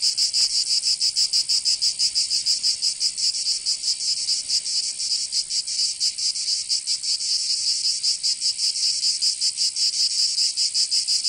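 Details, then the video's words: Chorus of summer cicadas in Provence, southern France, a loud high sizzling buzz with rhythmic pulsing that blurs as many insects overlap, continuous for the whole stretch. "Canto Cigarra 🦗 [ Escuchar les cigarras en verano 10 H]"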